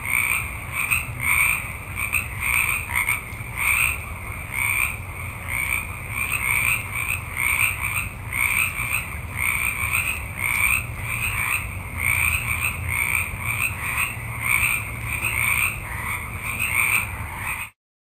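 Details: Many frogs call together in a forest at night. Raspy, pulsing croaks stack into a steady chorus that beats in quick surges, repeating without pause for most of the recording before cutting off abruptly at the end.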